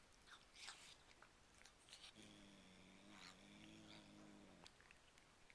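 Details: Cat making strange noises with its mouth full of cat treats, said to sound like "yum yum yum." A steady low buzzing hum lasting about two and a half seconds, bracketed by crunching and chewing clicks.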